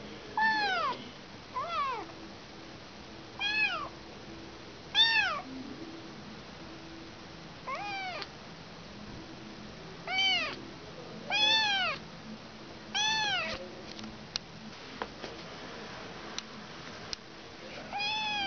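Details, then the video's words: Kitten that has lost its mother, calling with loud, arched meows that rise then fall, about eleven spaced irregularly over the stretch, with a few soft clicks and knocks between calls. "Anak kucing kehilangan ibu"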